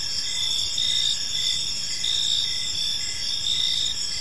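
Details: Crickets in a tranquil park during the evening, producing an unbroken high-pitched shimmering trill with gentle rhythmic pulses and faint low-frequency background noise.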